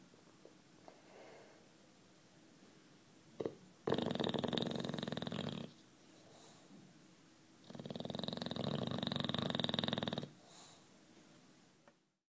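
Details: Sleeping British Bulldog Juanito, 9 years old, gives two loud raspy snores indoors, one at about 4 to 5.7 seconds and another at 7.7 to 10 seconds, separated by near-silent pauses.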